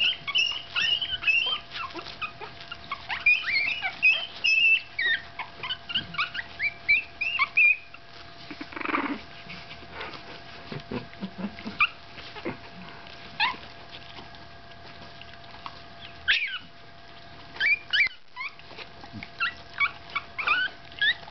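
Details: A 15-day-old Staffordshire Bull Terrier puppy gives thin, high-pitched squeaky whimpers in quick, uneven bursts.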